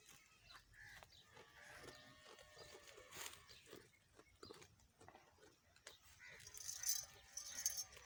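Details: Rajanpuri goats (Capra hircus) bleat in short, wavering, nasal calls over a busy, hissy background.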